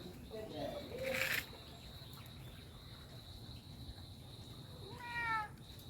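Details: Kitten mewing while a father cat grows excited at hearing it; a brief rising, harmonic mew sounds near the end, after people talk and a sharp knock early on, with a steady high insect trill throughout.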